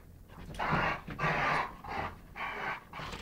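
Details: Indoors in November 2011, a Rhodesian ridgeback and chocolate labrador at play; four loud, breathy growling pants follow one another about every half second, each a rough rasping burst.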